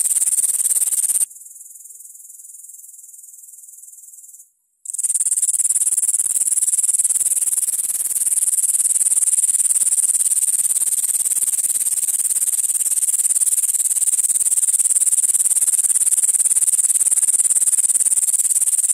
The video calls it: Как стрекочет кузнечик.(13+)